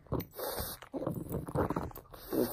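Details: Frank the pug, playing with a bone: irregular bursts of snuffling snorts, grunts and chewing noises, about five across the clip, with short quiet gaps between them.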